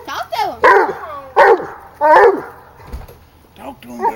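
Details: Female hound dog, 16 months old, baying at a raccoon she has treed outside at home: three loud, drawn-out bawling howls with falling, wavering pitch, about one per second, then a quieter yelp from a pup nearby.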